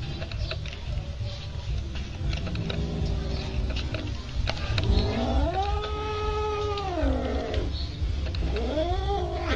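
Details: Domestic cat caterwauling: a low growl swelling into a long, loud, rising-and-falling yowl with rich harmonics, then a shorter second wail, over steady low background rumble.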